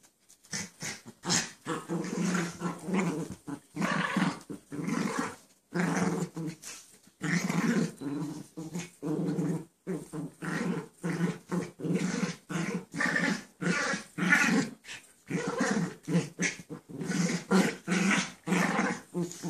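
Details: Sally the dog romping with Chance, who plays while lying down, on 11/3/13; loud, rapid, continuous play growling in short gruff bursts about half a second apart, with grunts and whines, inside a small room.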